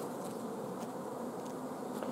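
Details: Hive of honey bees in an apiary, filmed 14 June 2016 during a dearth of nectar and food, queen held from laying eggs; continuous low droning hum with a few faint higher clicks scattered across.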